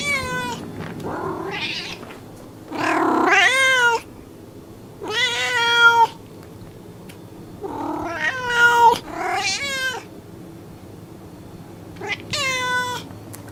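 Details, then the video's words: Cat meowing insistently, about seven short, urgent meows in quick succession, some rising then falling, over a low steady hum and background noise. "Мяуканье кошки Звук мяукающей кошки"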